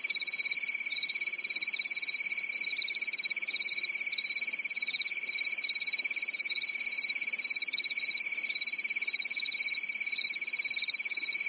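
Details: On a quiet summer night in Europe, crickets fill a forest with a sustained, piercing pulsed chirring, two high layered tones, one undulating softly, no pauses or other sounds.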